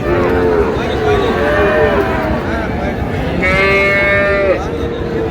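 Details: Friesian or crossbred bull calves at Raniganj cattle market on 10 August, near the market's close: several overlapping low mooing calls, each a drawn-out tone that bends up and down, with a brighter, higher bellow near the end over steady crowd murmur.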